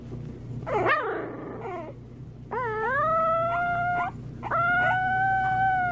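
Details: Puppy howling: a short wavering cry, then two long sustained howls that rise and level off, rich in harmonics, over a steady low electrical hum.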